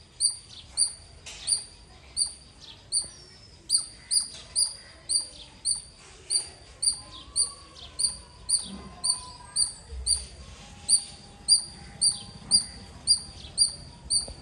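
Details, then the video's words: Squirrel giving loud chirps: sharp, high, piercing chip notes with a ringing upper overtone, repeated steadily about twice a second, roughly twenty-five in a row, over faint low background rumble. "Loud Squirrel ❤️ Chirping Sounds - Squirrel Lovely sounds 🐿 | ఉడత అరుపులు మీరే వినండి.."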